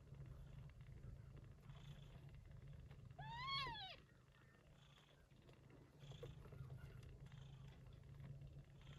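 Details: Gray short-haired Persian Chinchilla mother with the kittens she bore during an early-September typhoon. A low, constant purring rumble underlies everything, with one sharp arched kitten mew a few seconds in.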